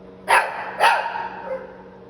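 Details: Shih Tzu puppy offered for sale in San Antonio, Texas, giving two sharp, loud barks about half a second apart, each a bright harmonic burst, over a faint steady hum.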